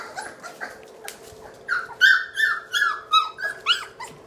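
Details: Three-week-old British Labrador puppies from a litter of seven born May 13, 2014, indoors in a nursery: a run of high, squealing whimpers, each sliding down in pitch, repeated several times a second after a quieter start, with a low background hum.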